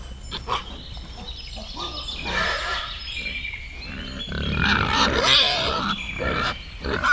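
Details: Wild boar in a forest, with piglets mentioned: overlapping high, wavering squeals and short grunts, rising and falling in loudness over a steady low rumble, with scattered clicks and rustling.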